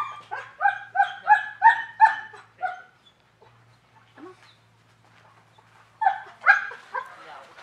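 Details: German Shepherds at a training class on 10 November 2019 for desensitizing dogs with aggression; a run of about eight fast, loud barks, a pause with a faint whine, then another burst of barks.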